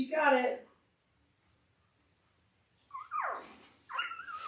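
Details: Labrador Retriever puppies, five days old, from Belle's Christmas-themed litter of five males and three females, born October 15, 2023: a sharp wavering squeal, a pause, then two more squeaky cries that bend up and down.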